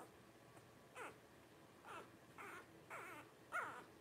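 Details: Twelve-day-old Blenheim Cavalier King Charles Spaniel puppies from a litter of five born New Year's 2023, giving short falling squeaks and yelps, about five in a row roughly every half second to second, in a quiet room.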